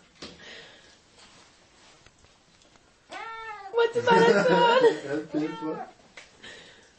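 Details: Siamese cat meowing indoors: one long arched meow, then loud overlapping human speech and laughter mixed with further meows, ending with a softer meow.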